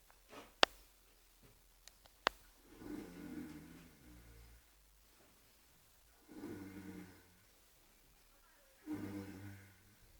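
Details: Sleeping horse Oscar snores in three long, low, rasping breaths about three seconds apart, with a few sharp clicks early on in an otherwise quiet space.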